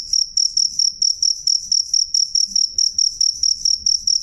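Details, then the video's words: Close, loud cricket: crisp, high, ringing chirps, each a tight burst, repeated about four times a second in a regular beat, with no other callers. "suara jangkrik jernih keras"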